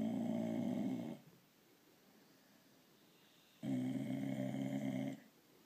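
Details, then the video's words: A female blue Irish Staffordshire Bull Terrier gives two low, rumbling grunts, each over a second long, a grunting or snoring noise she makes when she wants petting or attention. "Blue Irish Staffordshire bull terrier grunting noise when s"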